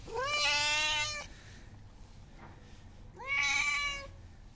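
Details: Homeless hungry cat calling for attention with two loud meows that rise at the start then hold steady, each about a second long, two seconds apart, faint low rumble underneath.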